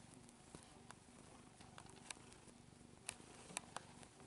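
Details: Deecee, a female cat almost nine years old, purrs while kneading like a kitten indoors; a soft, low, steadily pulsing rumble runs throughout, broken by a few sharp clicks and taps.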